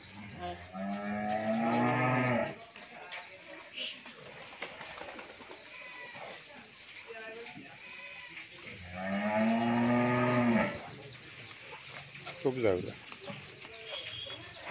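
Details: Pure Holstein Friesian heifer, 14 months old, on a dairy farm in Bhangura, Pabna, Bangladesh, gives two long harmonic moos of about two seconds each, separated by a pause, with a man speaking between them.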